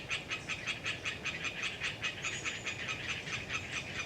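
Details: Rapid, regular creaking pulses from Hyla orientalis tree frogs, about three each second, dominate this windy autumn recording from Galeriç Swamp Forest in the Kızılırmak Delta, Samsun; a brief thin high whistle from a small bird cuts across midway.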